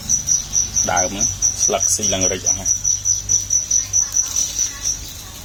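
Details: Farmed crickets, a local white cricket kept as breeding stock for sale and fed vegetables and grass, give a steady high-pitched pulsed chirping at about two pulses a second, with a man talking briefly near the start.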